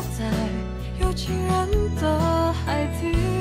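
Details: Cheerful instrumental music with a bright melody over steady bass notes, and no animal sounds.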